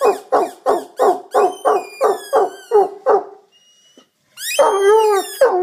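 An Irish Wolfhound 'sings' in quick, rhythmic woo-woo notes, then breaks into a long wavering howl.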